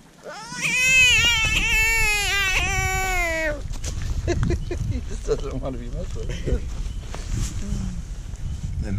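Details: Hand-caught American bullfrog, the first one its catchers found that screams. A loud, wavering, nasal cry holds for about three seconds, then stops abruptly and gives way to human voices and outdoor rustling.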